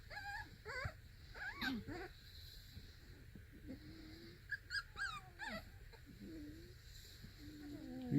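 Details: Four-week-old Beagle puppies playing in a box, giving short high rising whimpers and squeaky yelps in scattered bursts, with low growly sounds and a person speaking quietly nearby.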